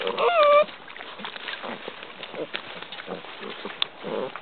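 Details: Basset Hound puppies, interested when visitors come to see them: one short, high, tonal whine with a bent pitch and clear overtones in the first half-second, followed by soft rustling and faint background voices.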